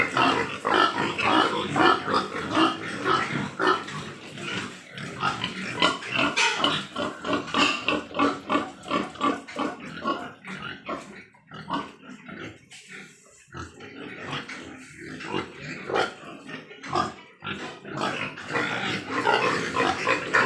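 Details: Large White Yorkshire pigs on a pig farm in Nadia, West Bengal, India: a dense chorus of rapid, overlapping grunts and squeals, pulsing roughly twice a second, with a short quieter lull midway.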